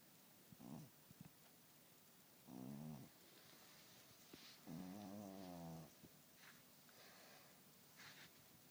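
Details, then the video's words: Domestic cat snoring heavily in its sleep, a series of low, rattling, buzzy snores of uneven length, the longest lasting about a second, separated by quiet breaths and faint soft clicks. "Кот Ричард храпит не по-детски!"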